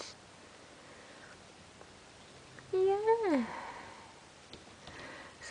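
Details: Bengal kitten just over two weeks old lets out a single clear meow that rises slightly, then sweeps downward, with a soft sniff and quiet room noise around it.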